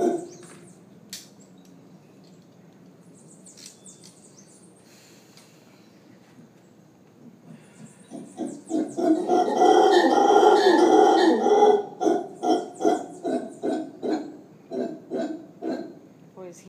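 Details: Howler monkey howling during a morning yoga class at Costa Verde's yoga studio in Manuel Antonio, Costa Rica; after quiet talk and faint music, a loud, rough pulsing roar builds, then breaks into repeated grunting bursts roughly twice a second.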